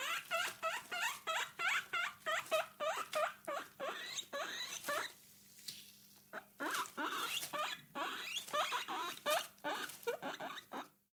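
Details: Caged guinea pig making quick repeated squeaky chirps, roughly three per second, with a short quiet pause midway before the squeaking resumes.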